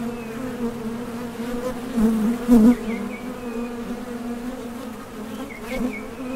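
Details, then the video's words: Honey bees buzzing at the entrance of a Top Bar Hive as foragers leave and land while seeking nectar; a steady low hum with harmonic bands, swelling in brief louder passes as single bees fly close by the hive mouth. "HONEY BEES Sound Effect #MasonJar | BEES BUZZING"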